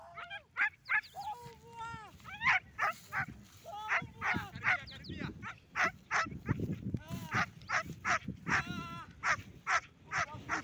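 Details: German Shepherd dog in military-grade training, barking in short, loud, harmonic bursts repeated roughly every half second, with human voices talking over and between the barks.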